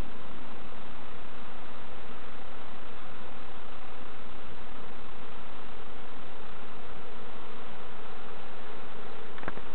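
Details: Honey bee hive being checked by novices at Summerwood Lane Allotments and Community Garden: an unbroken, thick droning buzz fills the whole recording, even and low, with a faint click just before the end.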